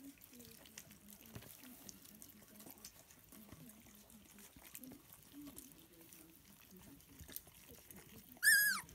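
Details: Lancashire Heeler puppies, muddy after eating scrambled duck eggs for breakfast. Soft low grunting whimpers and wet eating noises run throughout, then one sharp, loud, high yelp right at the end.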